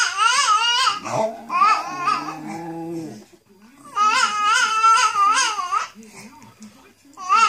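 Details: A Bichon Frise sings along with a companion, howling in long, wavering, yodel-like tones, one voice high and one lower.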